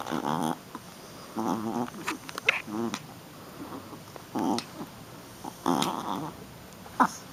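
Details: Shih Tzu puppy, female, playing rough: short harmonic growly grunts and whines in bursts around one second apart, with faint rustling between.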